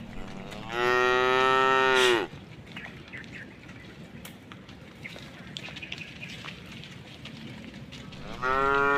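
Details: Cow walking through a puddle on a roadside by a forest utters one steady, droning moo that drops in pitch at the end. A quiet stretch follows, then another moo begins.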